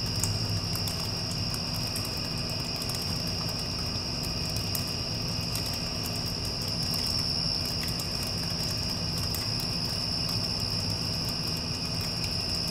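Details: After a storm has passed, crickets keep up a continuous shrill trill without pause while an air conditioner drones low and steady beneath them.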